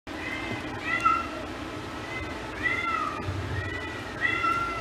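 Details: Nervous female Domestic Shorthair cat, newly arrived at an animal shelter and awaiting adoption, gives three drawn-out, tonal meows with rich harmonics, spaced about one and a half seconds apart, over a steady low indoor hum.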